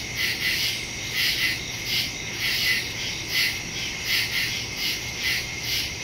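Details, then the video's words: Night crickets calling in the woods, recorded September 2, 2023 using a Samsung Galaxy S22 Ultra and Shure MV88+ stereo mic; shrill chirp bursts swell and fade about once a second in a thick chorus, faint low hum behind. "Crickets in the woods at night"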